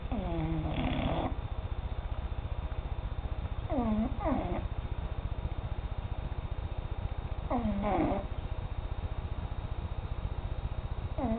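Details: A domestic cat asleep and snoring: a steady low rattling pulse runs throughout, with a louder wavering, harmonic breath sound about every four seconds. No other sounds are clear.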